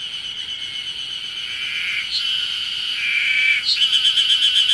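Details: Ezo harusemi cicadas calling on Mount Ryozen, Date City, Fukushima, Japan, on 20 June 2021, heralding early summer; many singers form a steady high buzzing chorus, then one breaks into rapid pulsed phrases, about four pulses per second.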